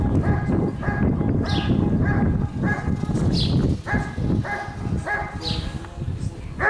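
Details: Giant Schnauzer Rick vom Lindelbrunn barking during a 2022 IGP CACT trial in Russia. The barks are short, rhythmic and repeated, partly masked by heavy low rumbling noise throughout.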